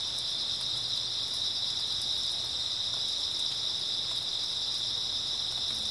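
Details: Early autumn night chorus of grass insects: a constant high-pitched ringing trill with no breaks, plus a few faint ticks above it and soft low background hum.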